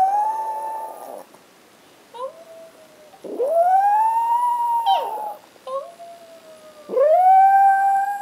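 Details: Chihuahuas Ace and Oscar howl indoors. Ace howls when he can't find his mom, and the brown Oscar is starting to pick up the skill. Long, smooth, mid-pitched tones rise and then hold steady, with short breaks and brief yelps between them.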